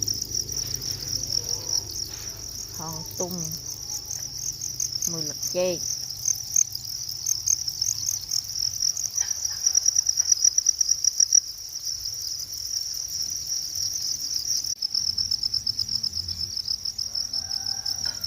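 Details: Cricket in a natural setting producing a steady, high, shrill trill that runs throughout, pulsing rapidly. A few brief voice-like harmonic sounds and clicks appear early on, with low background rumble.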